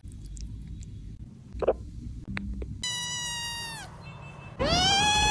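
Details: Kitten meowing twice after some light tapping and rustling: a one-second meow that drops in pitch at the end, then a second meow starting near the close.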